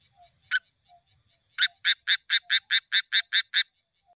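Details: Frog calling from a rice paddy on a midsummer night in the countryside: a single clipped note, then a rapid series of ten sharp, rasping pulses, evenly spaced about every quarter second, clear against a quiet background.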